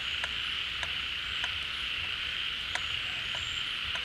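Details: Rainy-season pond chorus of many frogs that have come out of their burrows as water refills it: a constant high hum overlaid with crisp repeated clicking pulses and brief thin whistles.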